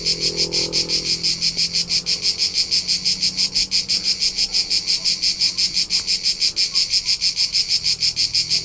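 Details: Cricket recorded on a summer road trip through the rolling hillsides of Tuscany, central Italy: a steady high pulsing chirp, about three pulses a second, bright and even throughout, with faint low hum beneath.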